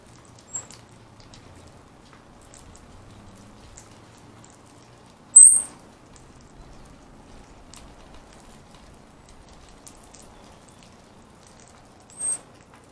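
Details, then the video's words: Round-tailed ground squirrel named Bubba, described as ready for hibernation: three brief, very high, thin chirps spaced several seconds apart over a quiet, faintly rustling background. "Round Tailed Ground Squirrels"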